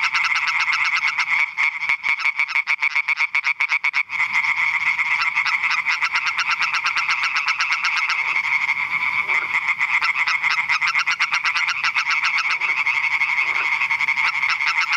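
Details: Chorus of European tree frogs at Eichkopf in Hesse, Germany, a relentless stream of fast, nasal, rattling croaks, about four per second, layered by many callers into a continuous buzzing din for fifteen seconds.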